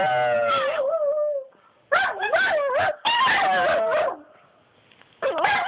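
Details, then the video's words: Pet dogs Bobby and Angel howling, with wobbling, warbling howl notes bending up and down, dense overlapping yips, and quiet pauses between bursts. "Bobby and Angel howling lol"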